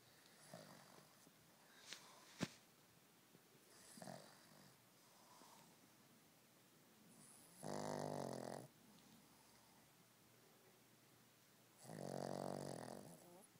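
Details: Pet dog snoring indoors: two long, rasping, broadband snores near the eight- and twelve-second marks, with quieter breathing and faint rustling in between.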